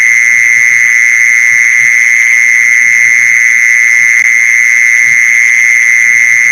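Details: Mole cricket calling, used as a lure sound for catching mole crickets: a loud, unbroken, steady buzzing trill at one high pitch with fainter higher overtones, no pauses throughout, and a faint low rumble underneath.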